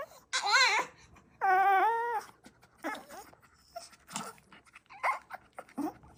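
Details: Pet dogs making odd vocalisations: a sharp yelp-like whine, then a sustained, steady, nasal howl of about a second, followed by several shorter broken whimpers and squeaks, indoors.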